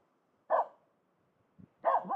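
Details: Finnish Spitz barking at a pond for fun: two clipped barks over two seconds, the second followed by a short lower growly tail, a faint soft sound between them.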